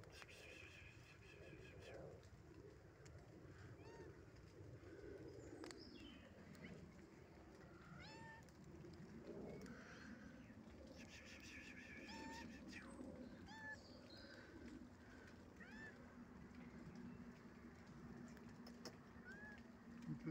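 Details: Domestic cat with kittens: a series of short, arched meows at varied pitches, some higher and thinner, scattered across the recording over a steady low hum and rustling background, with a faint voice at times.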